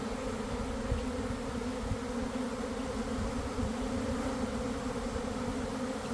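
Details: Honey bees swarming from a hive by a garden in early afternoon, weather just right after cold and damp: a thick, even, low-pitched hum of countless wings with no other sounds.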